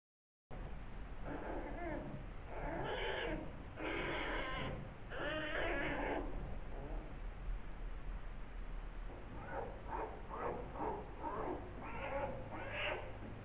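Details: Two newborn polar bear cubs in the birth den at Zoo Rostock, Germany, born 14 November 2021, filmed by den camera; bursts of harsh, pulsing squalls and grumbles come in clusters, then shorter rapid calls with low hum beneath.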